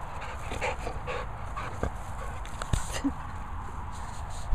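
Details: Border Collie named Brock during a search training session, panting in soft rhythmic breathy puffs roughly every half second over steady wind noise, with a person's voice giving commands nearby.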